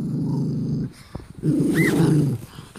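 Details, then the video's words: Angry male mini doberman in Cyprus, offered food and refusing to touch it, baring his teeth at his owner: two long, low, rumbling growls separated by a short pause, with a brief high squeak in the second. "Rather angry mini doberman does not want to touch his food"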